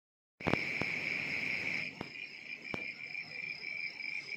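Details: On a quiet rainy-season night, a cricket trills steadily, a high, unbroken ringing tone with a few faint clicks.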